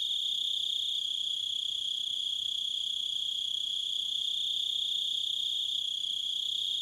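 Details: Crickets in a nature soundscape, a sustained piercing trill at steady high pitch with layered overtones, level and uninterrupted throughout, with no other clear sounds.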